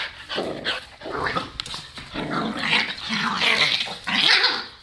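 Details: Play-fighting between two household dogs, including a newly adopted Boston Terrier; rough, rumbling growls and snarls rise and fall continuously over several seconds, with scuffling noise throughout.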